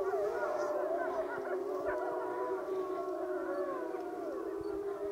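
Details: Pack howl of the Wapiti Lake wolves assembling together: multiple long, smoothly gliding howls overlapping, some voices dipping and rising while a lower steady tone holds underneath, continuous for the whole stretch.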